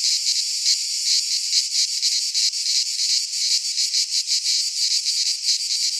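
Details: Greek pine forest cicadas in high summer, producing a loud metallic buzz with uneven pulsing throbs over a constant drone, no other animals or voices.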